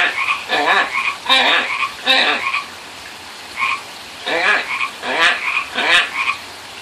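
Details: Pacific tree frogs answering calls by a pond, with rough, ratcheting croaks in two bursts separated by a quiet pause, mixed with brief whistled notes.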